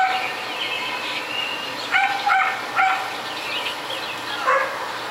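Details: Barking neighbours' dogs in a residential area, a nuisance lasting hours daily; a cluster of three or four quick barks in the middle, then another near the end, over constant hiss.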